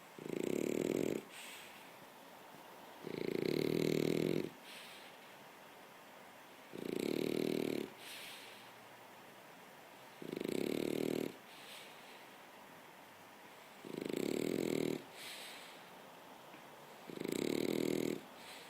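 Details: A French bulldog snores loudly as he falls asleep, each rasping, rumbling breath coming about every three and a half seconds.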